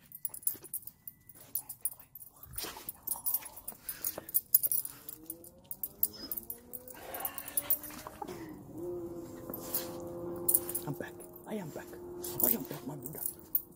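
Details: Siberian Husky crying for joy at reunion with its owner after a week home alone: a run of wavering, rising whines, then a long steady high-pitched whine held from about eight seconds on, with clicks and a quiet human voice.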